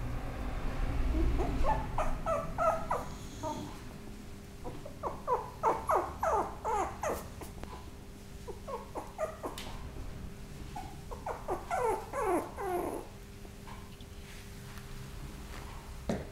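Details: Maltipoo, a Maltese and toy poodle mix dog, indoors in a small room, giving repeated short high whimpering yelps in bursts with pauses between, rising and falling quickly, over a low steady hum.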